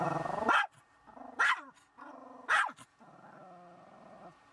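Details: Shih Tzu dog reacting to a car wash: three loud, abrupt barks spaced about a second apart, each led by a low rumbling growl, then a sustained growl trailing off at the end.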